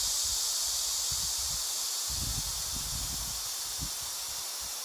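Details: Korean native Asian honey bees give a steady, hissing collective alarm signal as a colony defence against an attacking hornet.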